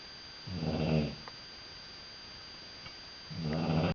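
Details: Sleeping British Bulldog kept as a pet, snoring loudly indoors; two low, buzzy, rattling snore breaths with a long quiet gap between them, recorded in a small room.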